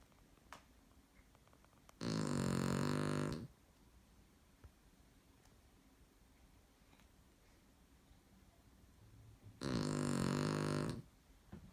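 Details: Aaron the dog snores indoors. Two deep, rattling snores, each over a second long, are spaced about eight seconds apart. Quiet room tone and faint breathing fill the pause between them.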